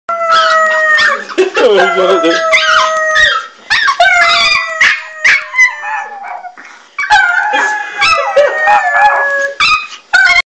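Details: Pet dog howling when its owner came home from Italy: long wavering, sliding howls in several drawn-out phrases, broken by short gaps and a few sharper yelps.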